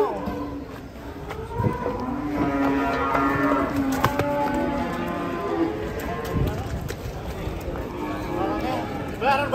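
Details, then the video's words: Agitated giant Pegon cow being unloaded from a truck bellows a long, sustained moo lasting several seconds, rich in harmonics, dropping at the end, with a short sharp bawl near the close and people talking nearby. "SAPI NGAMUK PEGON RAKSASA TURUN DARI TRUK"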